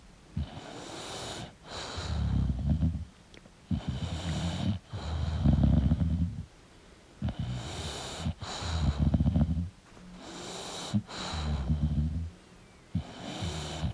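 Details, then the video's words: Sleeping English bulldog with heavy, rough snores roughly every two seconds, wheezy rattling tones under each, and airy hissing breaths between them. "English Bulldog Sleeping & Snoring Sound"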